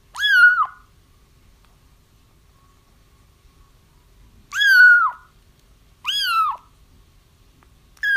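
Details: Kitten cries played to lure a feral mother cat into a trap: three high, arching mews with rich harmonics, each dipping downward at the end, separated by long silent gaps, plus a cut-off cry at the close.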